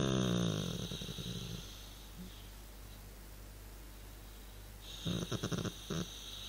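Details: Chilling male dog producing a long, vibrating, growly snore at the start, then quiet breathing, followed by a series of choppy rattling snorts about five seconds in; faint indoor hum throughout.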